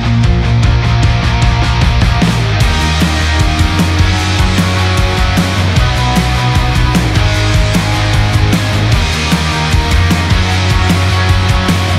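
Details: Loud, driving rock music with heavy drums and distorted guitar fills the whole stretch, with no animal heard.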